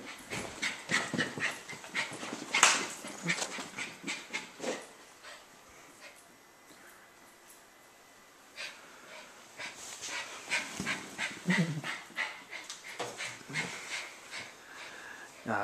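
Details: Dog panting rapidly in bursts, breathy rhythmic huffs with brief pauses, a quieter stretch in the middle before the panting resumes.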